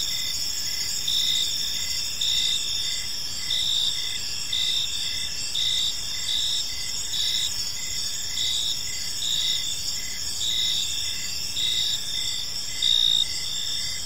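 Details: Crickets in a peaceful park at evening, giving a dense, unbroken high trill with brief brighter swells every second or so and quick rhythmic pulses beneath.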